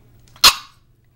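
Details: A single short, sharp yap from Holly, a 4-month-old Norwich Terrier puppy, ends quickly against a quiet room with a low electrical hum.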